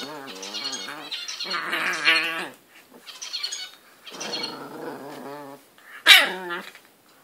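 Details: English Bulldog, a pet, attacking his bed indoors: drawn-out, wavering whiny growls and grumbles with harmonic moans in several long bouts, ending in a sharp yelp-like burst.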